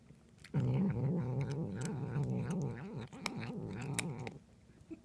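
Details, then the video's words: Domestic cat vocalizing while eating: one continuous low, wobbling, warbling murmur of about four seconds that rises and falls rapidly, with sharp clicks of chewing throughout, then stops abruptly. "Cat making noises while eating"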